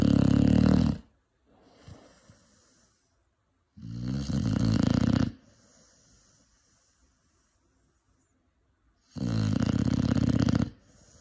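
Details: Snores from a 5-month-old Cane Corso puppy: heavy, harsh, droning inhalations near one second long recur at intervals of four to five seconds, with faint breathy exhalations in the gaps.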